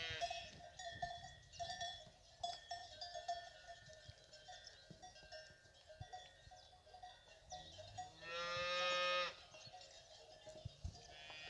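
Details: Fighting bull cows kept with their calves; after several seconds of steady cowbell clanking, a loud, harmonic moo lasting about a second stands out above the bells before the clanking resumes.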